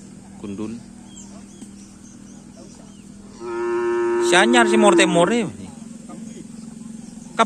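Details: Cattle at a Karapan Sapi bull race training session held as a friendly gathering on a field in Asemanis; one drawn-out moo of about two seconds, a steady harmonic tone that swells then bends downward into a rough ending, with faint talk and laughter nearby.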